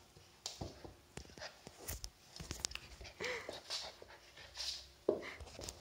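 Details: On his first day in a new home, 8-week-old Swiss White Shepherd puppy Elias pants and gives two brief, thin whimpers amid scattered clicks and thumps from play.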